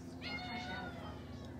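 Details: Tuxedo cat, a pet indoors, meows while peeking outside and asking to be let out. The single meow lasts about a second with stacked harmonics that rise slightly and then fall. A steady low hum runs beneath it.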